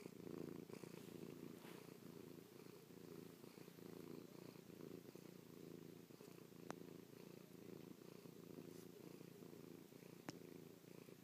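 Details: Affectionate house cat Chloe purrs up close, kissing and pawing at her owner's face after a night spent sleeping on the owner's back; continuous low, pulsing rumble with faint scattered ticks of fur and paw contact.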